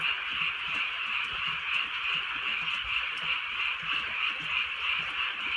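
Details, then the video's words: Croaking frogs on a rainy countryside night, many voices together producing a constant rhythmic trilling, gently swelling and fading in waves, over a quiet patter of drizzle. "개구리 소리"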